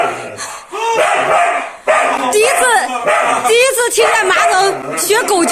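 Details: Siberian Husky carried on a man's back on a roller coaster, terrified and wailing: wavering, arched, high yelps and whines rising and falling, with a man shouting over them and rushing wind noise.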